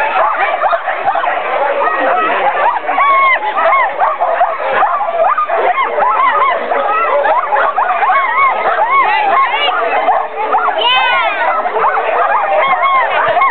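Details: Sled dogs at a summer camp in Alaska, excited and loud before a sled ride: a dense, unbroken chorus of overlapping yelps, yips and rising-falling howls from many dogs, lasting the whole stretch with hardly a pause.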